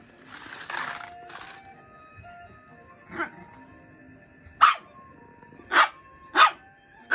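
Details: A toy poodle puppy, newly added to the family, gives a series of sharp, high yaps at a young boy who cries, over soft background music.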